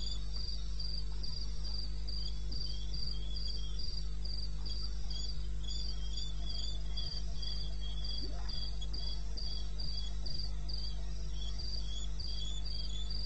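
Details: Cricket in eastern Botswana wilderness, recorded at night, 02:30 AM, 21 May 2016. Rapid, regular bursts of high, thin chirping about four per second run through the clip, with faint scattered clicks and a steady low hum beneath.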